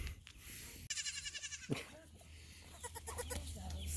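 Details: Young bottle-fed goat kids calling as they are greeted before their nightly medicine: a quavering, pulsing bleat of under a second, then a shorter bleat and fainter calls, with a woman talking nearby.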